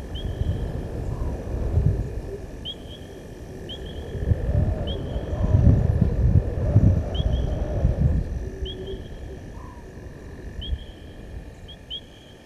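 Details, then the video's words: Male lion at Gowrie dam, Djuma Game Reserve, Sabi Sand Wildtuin, South Africa, crossing the dam wall at 19:47 on 18 August 2022: deep, swelling roar building through the middle, then fading, over steady rumble and repeated high chirps. "Lion-S8 Male crosses dam wall-roars-out far side Open Area"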